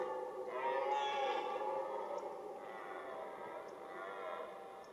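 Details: Red deer during the rut, one sustained harmonic, groaning roar lasting about four seconds that holds steady and slowly tails off, with a little background hiss.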